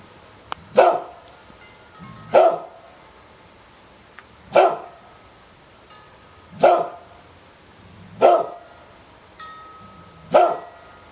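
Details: Dog barking steadily: six punchy single barks roughly every two seconds, with faint ringing chime-like tones audible in the background.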